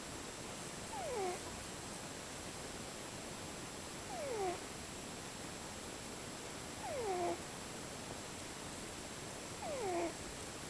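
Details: A cat asleep snores in varied tones, each breath a doubled whistle falling steeply in pitch, returning four times at roughly three-second intervals against a steady background hiss.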